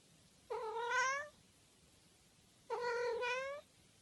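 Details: Domestic cat giving two long, clear meows about two seconds apart, each a steady rich tone rising slightly at the end, in a quiet room.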